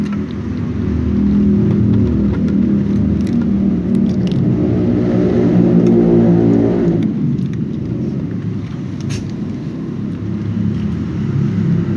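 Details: Steady low engine rumble and whirring traffic noise with no animal voice, easing after about seven seconds.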